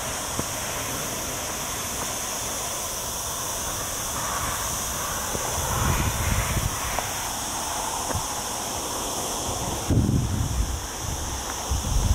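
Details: A steady, high cicada drone hisses on without pause, with footsteps crunching underneath, on a hike among olive trees in lower Sierra Llana, Spain, during a very hot week on a cloudy day.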